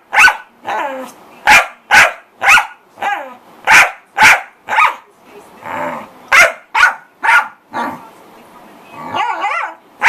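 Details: A corgi makes a lot of noise in fast, sharp barks about twice a second. A short rough, breathy stretch in the middle and some whiny yips near the end break up the barking.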